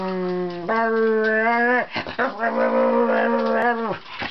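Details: Pet Wire Fox Terrier talking to its owner indoors beside the computer. Long, steady, moaning tones with rich harmonics hold for over a second each, then break and resume in a second drawn-out moan.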